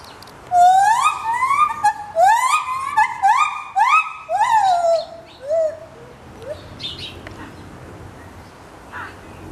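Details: A gibbon sings a run of loud, rising whooping notes, each swooping upward and repeated in quick succession; recorded at Ramat Gan Safari, September 2013.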